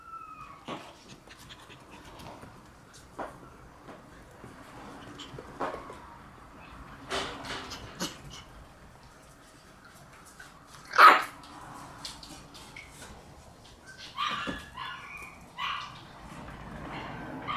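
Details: Red Shiba Inu female puppy, born on 23 August, gives scattered short yips and soft whimpers, with one louder sharp bark-like burst midway and a few high squeaky yips near the end over a quiet room background.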